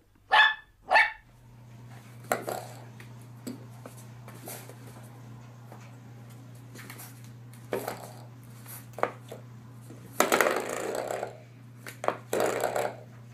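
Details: Puppy lets out two sharp, quick barks at the start, then a steady low hum fills the room with scattered noisy bursts of movement.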